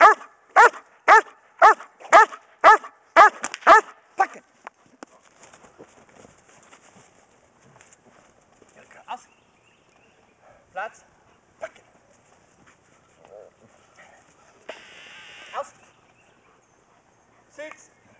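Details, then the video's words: Pregnant German Shepherd female Kodiak in Schutzhund bark and hold training, January 2010; a quick run of about eight strong barks opens, then scattered quieter sounds, a handler's voice, a few isolated barks and a brief noisy burst. "Lever's GSDs BARK & HOLD"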